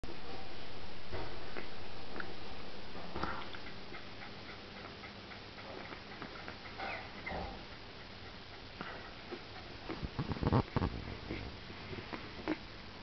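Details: Two-week-old Cairn Terrier puppies make soft, wet clicking and smacking sounds as they suckle from their mother.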